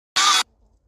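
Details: A very talkative black-morph eastern gray squirrel in Lindsay Park, Calgary, gives a single short, harsh, rasping growl while being fed cashews.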